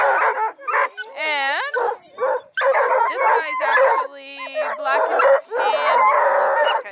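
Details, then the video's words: Several registered coonhounds, Blueticks, Redbones and Black and tans, at a hound kennel near Kingston, Ontario, Canada, bay together in overlapping, wavering, tonal howls with sharp barks between them. A person speaks briefly. "Awesome hound crew want to be heard! Blueticks, Redbones, Black & tans"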